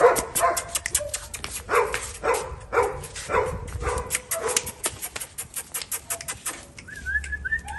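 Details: Husky puppy in Delhi, yapping in steady repeated bursts of thin, high barks about every half second, with clicks throughout and a few faint chirping whines near the end.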